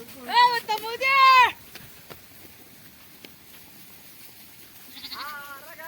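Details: Sheep flock feeding in an onion field: a burst of loud, quavering bleats in quick succession at the start, then quiet, then another trembling bleat near the end, with faint voices between.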